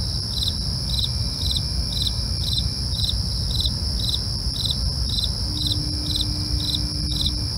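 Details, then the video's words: Night crickets chirping in a steady rhythm, each brief pulse roughly half a second apart, layered over a constant high-pitched insect drone and low background rumble. "night crickets asmr for you"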